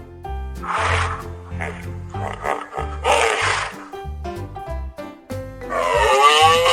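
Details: Zebra calling in a children's lesson on wild animal names and sounds: harsh, broadband barking bursts near the first and third seconds, then a longer wavering braying call at the end, over steady background music with a thumping beat.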